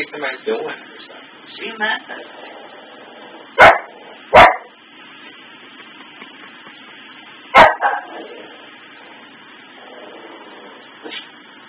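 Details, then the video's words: Pet dog indoors barking at Christmas tree lights stuck flicking on and off from a faulty sensor; three sharp, loud single barks at irregular intervals over quieter whining and muffled vocal sounds. "barking and howling at the Christmas tree"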